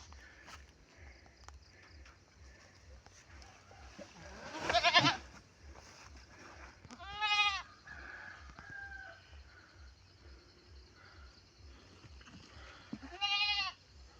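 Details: Pet goats bleat while their owner brings and lays out fodder in light rain near dusk; three strong, quavering, harmonic-rich bleats come several seconds apart over low steady background hum and rustling.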